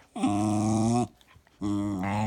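A Cairn Terrier makes two sustained, throaty, moaning sounds with a brief pause between them, like a dog trying to talk. The rough, growly voice wavers slightly in pitch as it is held.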